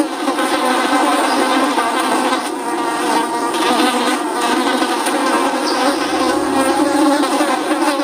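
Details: Flies buzzing without a break, a dense, steady droning hum thick with overtones, slightly wavering in pitch as several wingbeats overlap over eight seconds.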